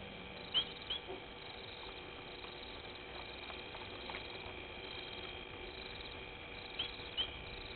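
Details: Night-time waterhole at Gowrie dam on Djuma Game Reserve, Sabi Sand Wildtuin, South Africa, where a painted reed frog gives brief piercing chirps in pairs, near the start and again near the end, against constant background hiss.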